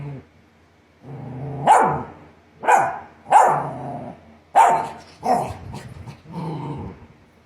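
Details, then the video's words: Barking Australian Shepherd: six rough barks in quick succession, some preceded by a low throaty rumble. Pitches vary from bark to bark, and the last ones are hoarser and more drawn out. "Australian Shepherd Barking Sound Effects (SFX)"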